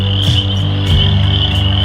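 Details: A dense frog chorus from a small water area at a nature center in Lansing, Michigan, holds a steady, high, continuous trilling drone, with low rumbling handling noise beneath.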